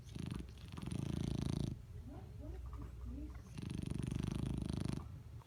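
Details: A dog snoring while asleep, giving two drawn-out, buzzing low breaths with a rapid fluttering pulse, separated by a quieter gap of soft wheezy breathing sounds.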